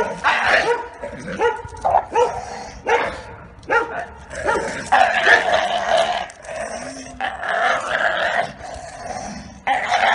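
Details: A training session for Giotto, a neutered Bull Terrier with a history of attacking his owners: loud, ragged barks in clustered bursts, some drawn out and strained, with brief gaps between volleys.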